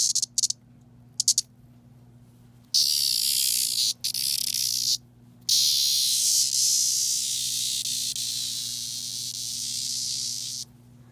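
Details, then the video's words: Seventeen-year periodical cicada (Magicicada septendecim) from a recent local swarm, handled by hand and calling whenever touched: brief clicks, then loud, sustained high-pitched buzzing screams lasting several seconds with short gaps, and a steady low hum behind. "The Screaming 17 Year Cicada"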